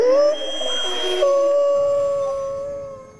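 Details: Wild grey wolf howling at full moon in the jungle: one long, steady, mid-pitched howl with rich overtones, rising slightly at the start, then held level and slowly fading over three seconds, with a brief burst of noise partway through.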